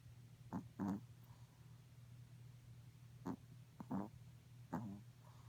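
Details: Sleeping Morkie pup, dreaming indoors: a few short, soft snorting breaths in brief bursts, spaced irregularly over a few seconds, against a steady low hum and a quiet room.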